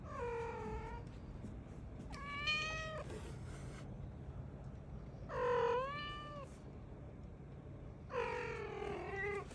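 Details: Domestic cat, a cream calico mix, meowing indoors: four drawn-out, harmonic-rich meows spaced about two seconds apart, each bending slightly up then down, with a low steady hum underneath.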